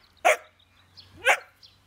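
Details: Young Jämthund named Ida, nearly four months old, playing and barking at an older dog holding the prized meat bone, testing rank in the pack; two short sharp barks about a second apart, faint birdsong and a low hum behind.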